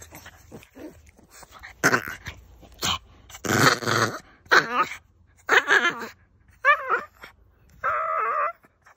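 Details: Boston Terrier giving a string of separate vocal bursts: rough growl-like grumbles, then wavering whiny howls and a final drawn-out moan, with short silences between each burst.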